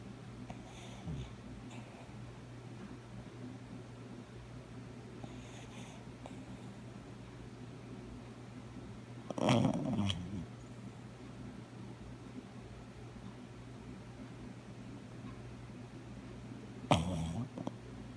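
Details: Coco, a brown cockapoo aged nine, dreaming and snoring in a small room: faint breathy snores early on, then two louder snorting bursts, one around nine and a half seconds and one near seventeen seconds, over a constant low hum.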